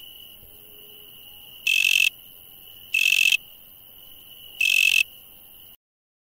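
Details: Insect calls at night: three loud harsh buzzes of about half a second each, roughly one and a half seconds apart, over a steady high whine that stops abruptly near the end.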